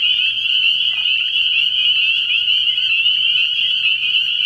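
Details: Spring peepers in full night chorus at a frog pond early in the year, countless high piping peeps blending into one continuous shrill ringing, over a faint low background hum.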